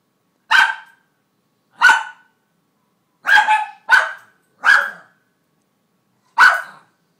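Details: Pet Cairn Terrier Ellie barks persistently at a piece of kibble under her crate: six loud, sharp barks at uneven intervals, one close pair near the middle, no other sounds.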